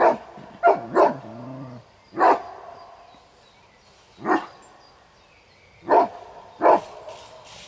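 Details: During a territory-protection test at a Kuvasz competition, a male Kuvasz gives loud, single barks at uneven intervals while guarding the territory and its owner's property.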